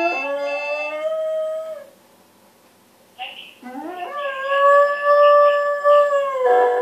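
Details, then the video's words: A Dalmatian howling in long, drawn-out tones with clear harmonics. One sustained howl fades out, a short pause follows, then a rising yelp slides into a second long, steady howl that ends with a brief wavering break. "Talking dog dalmatian"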